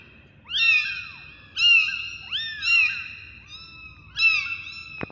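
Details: Kittens giving clear, high-pitched meows, each arching up and then falling, spaced roughly a second apart, with a softer, lower cry in between and a sharp click at the end.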